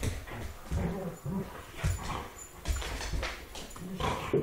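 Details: Two young wolfdogs about one year old, a timber wolf Malamute mix and a Rottweiler timber wolf mix, playing together; low rough growls and grumbles come in short uneven bursts with scuffling noise between.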